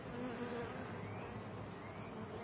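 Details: Western honey bee workers pass nectar from one to the next amid a steady, low, dense droning hum like a hive's murmur.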